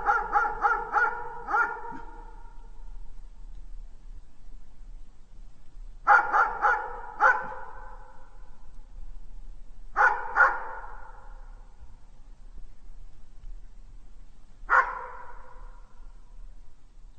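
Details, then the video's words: Genuine dog barks come in spaced bursts: four fast barks, a pause, three more, then a pair, and finally a single bark, each with a short ringing decay. "GERÇEK KÖPEK HAVLAMASI"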